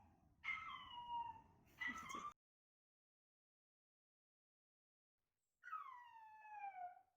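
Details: Male Chihuahua puppy indoors, born November 2019 and described as timid, with its own recorded cries played back to it: two drawn-out, falling whining cries with bright harmonics, then a long silence and one more descending wail.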